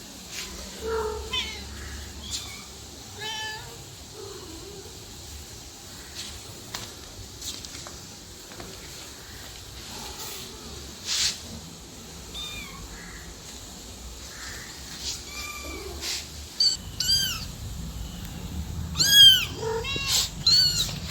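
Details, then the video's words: A cat and kitten meow intermittently, at first soft and scattered among clicks and rustling, then a burst of loud, high, rising-falling kitten mews near the end. "Cat and Kitten Meowing"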